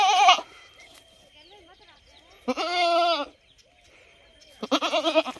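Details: ['Repeated goat bleats: a clipped cry at the start, a full wavering bleat near the middle lasting almost a second, and another beginning at the end, with soft rustling and a steady high tone between.']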